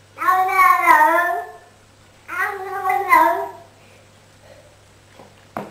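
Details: Cat in a playful pet compilation utters two drawn-out, bending meows, one after the other, followed by quiet with a faint hum and a brief knock at the end.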